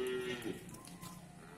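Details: Cattle at the Bumiayu cattle market in Indonesia, a single short low moo lasting about half a second over a murmur of crowd noise.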